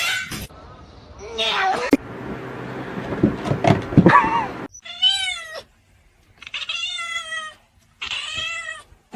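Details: A cat gives three drawn-out, tonal meows, each rising and then falling, spaced about a second apart. Before them come human speech and a snatch of singing.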